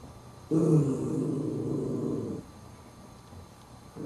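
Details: Indoors, a small Chihuahua puppy tries to take a bone from a bigger adult dog that will not give it up. A low, rough, sustained growl lasts about two seconds, then stops, and a fresh growl begins at the end.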